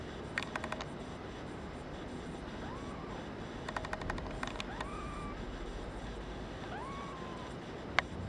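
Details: Brown tabby and white male kitten, born 27 February 2011 and seeking a new home, gives three short arched meows spaced about two seconds apart over a steady low background hiss, with bursts of sharp clicking and tapping in between.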